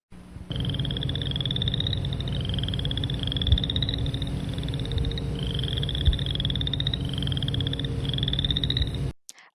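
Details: Boreal chorus frog, one of Iowa's smallest frogs at about one inch, giving short, rising pulsed trills in quick succession like a thumb run along a comb.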